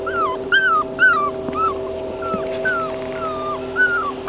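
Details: Red tri male Australian Shepherd puppy crying in a run of falling, nasal whimpers, about two per second, some louder and drawn out. A low, steady hum sits underneath.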